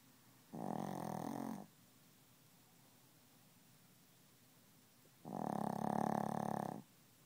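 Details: Sleeping Chihuahua snoring and refusing to wake up; two rough, buzzy snore breaths about four seconds apart, the second longer and louder, in a quiet indoor setting.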